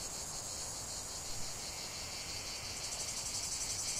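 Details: In a lavender field, cicadas make a continuous high, hissing buzz. It swells slightly with gentle pulsing, and the chorus grows brighter toward the end.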